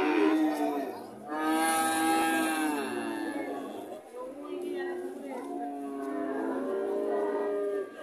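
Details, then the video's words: Relaxed heifer cow at an Indonesian animal market lowing in long, drawn-out moos with rich harmonics, two main calls across the stretch, over faint people's voices. "the cow is relaxed - 🔥🔥🔥 heifer cow"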